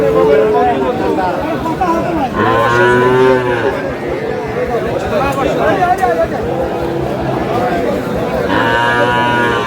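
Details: Improved-breed dairy cows and calves at Aftabganj cattle market, Dinajpur, dated 1/8/26; two deep harmonic moos, each about a second long, rise through the steady hubbub of bargaining voices and crowd chatter.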